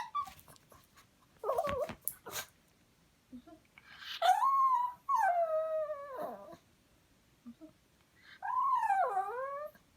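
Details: A dog whimpering and crying to beg for beef, with high wavering whines that rise and fall, in three bursts after a few short clicks; a woman speaks Korean nearby.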